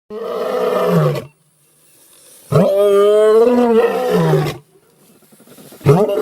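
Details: Lion roaring: long, harmonic, groaning roars about a second or more each, one at the start and a longer one midway, another beginning at the end, separated by quiet gaps.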